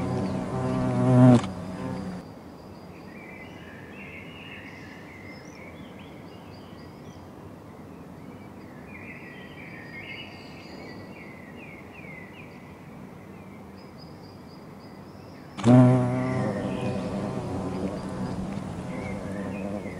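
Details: European hornets at a nest in an old tree; two loud, low droning buzzes of a hornet passing close, with faint birdsong in between.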